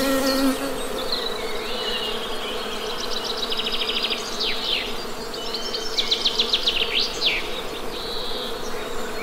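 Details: Droning honey bee buzz, even and unbroken, with birds adding sweeping, rapidly repeated high notes in bursts over the hum.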